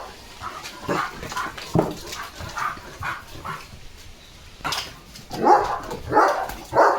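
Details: Leo the German Shepherd is drenched in rain and barking playfully. Scattered, uneven barks and yips of varying loudness, with a person talking in Marathi.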